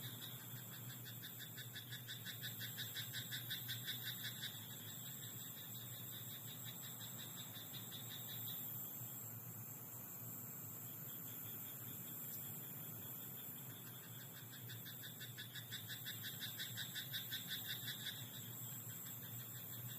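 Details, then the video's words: Frog croaking at night in a rice paddy: two long bouts of rapid, evenly pulsed croaks, roughly three per second, with a pause between them, over a constant low hum and a thin high whine. "田んぼのカエル "Croaking frog in rice paddy at night""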